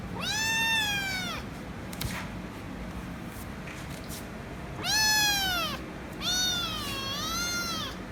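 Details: Demanding kitten meowing loudly for head rubs: three long harmonic meows, the last with a wavering dip in the middle, separated by a few seconds of quiet with a soft click.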